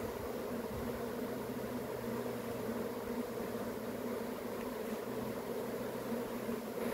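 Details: Swarming honey bees make a dense, unbroken buzzing drone at an even loudness, with a faint low hum underneath and no other clear sounds.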